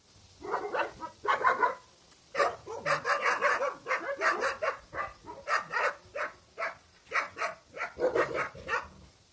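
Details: Central Asian Shepherd puppies from Russia, a litter offered for sale: a run of high, yappy barks and yips in quick bursts, several overlapping, with short pauses between volleys.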